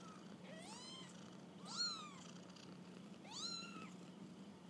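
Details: Kittens out on a first walk, three clear rising-then-falling mews, thin and high with bright harmonics, spaced about a second and a half apart against a low background hum.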